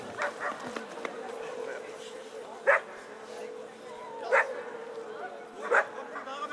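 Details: Eleven-year-old American Staffordshire Terrier Chefrem of golden Samurais during a German VPG protection dog exhibition; three sharp single barks spaced over a second apart, with a steady electrical hum and faint voices in the background.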